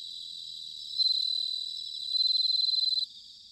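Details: Bell crickets singing in autumn at Sanuki, Chiba Prefecture, Japan: a high, ringing pulsed trill swells at one second, fades, then a louder, evenly pulsed burst runs for about a second before stopping abruptly over softer trilling from other crickets.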